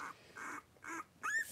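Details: Three-week-old blenheim Cavalier King Charles Spaniel puppies, a litter of five born on New Year's, wrestling and playing indoors in a puppy pen; three short soft squeaky yips, then a thin whistled whine that rises and levels off.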